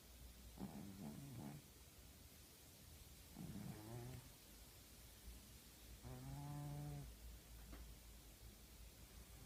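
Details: A female tabby pet cat asleep indoors, snoring loudly: three low, droning, harmonic snores spaced about three seconds apart, each roughly a second long, with a faint steady hum underneath.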